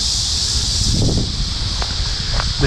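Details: A cicada's steady, high, hissing drone runs without a break through an August day in a residential neighbourhood of Quincy, Illinois, beneath a man's voice and the low rumble of a light breeze.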